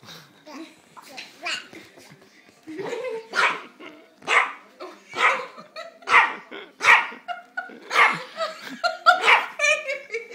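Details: Mickey, a puppy, barks at a baby in a series of short, sharp, high yaps repeated about once a second, mixed with laughter and voices in a room.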